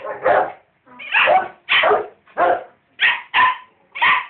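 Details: Rottweiler and dachshund trading barks at each other, seven loud separate barks spaced irregularly about half a second apart, some deeper and some higher and sharper.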